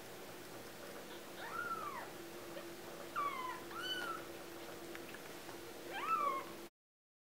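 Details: Squeaky, short mews from four 2-week-old kittens, several calls overlapping mid-clip and one louder cry near the end before sudden silence.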